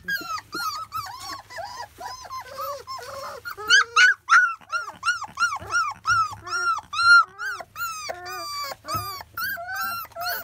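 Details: Several 25-day-old field-line Labrador Retriever puppies at their first weaning meal give rapid, high arched whimpers and yelps, overlapping and repeated about three times a second, with faint low hum beneath.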